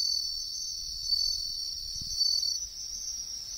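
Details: Bell cricket singing in the wild among riverbank trees: a high continuous ringing trill, briefly changing pitch midway, with a soft low thump in the background.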